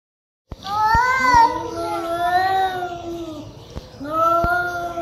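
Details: Angry cats growling at each other, recorded live: long drawn-out wavering yowls that rise and fall in pitch, one lasting about three seconds, then a second yowl starting after a short pause. Sharp clicks and knocks are heard too.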